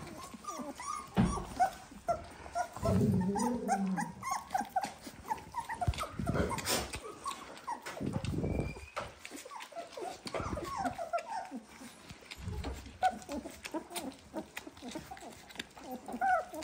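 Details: Eighteen-day-old Dalmatian puppies whine and squeak almost continuously in short rising bursts. Several pups call at once, mixed with thumps, rustling and a brief low murmur near the start.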